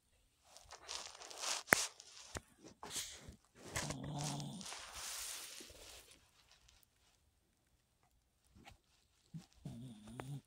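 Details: A Chihuahua snoring: breathy, rasping rushes with a low, buzzy, wavering tone near four seconds, a few sharp knocks earlier, a quiet pause, then another short, buzzy, low snore at the end.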